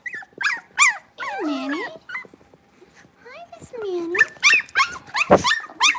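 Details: Five six-week-old blenheim Cavalier King Charles Spaniel puppies in a home puppy pen. Rapid high squeaky yelps open the clip, then long drawn whines that dip and rise, and a burst of overlapping sharp yips near the end.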